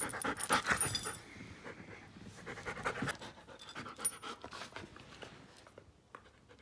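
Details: Giant schnauzer Klara, one year and five months old, breathing in rapid husky pants, strongest early on and fading to quiet by the end, with scattered clicks and handling noises.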